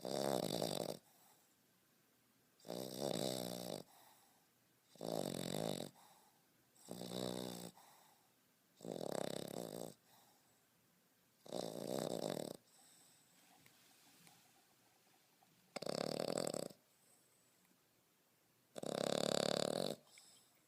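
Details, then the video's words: Beau, a 5.5-month-old French Bulldog, sleeps and snores loudly like a grown man; nine harsh, rattling inhalation snores follow one another roughly every two seconds, separated by near-silence. "French Bulldog Snoring"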